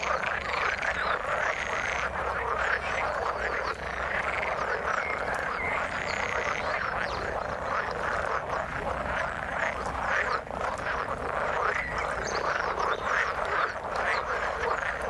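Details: Frogs calling in the water: a dense, continuous chorus of overlapping croaks and trills, steady in loudness throughout, with no other clear sounds.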